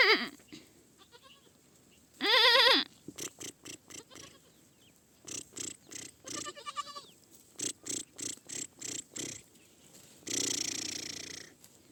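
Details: A baby goat gives one short, loud bleat early on, then a fainter one. Between them come rapid dull tapping sounds, and a burst of rushing noise follows near the end.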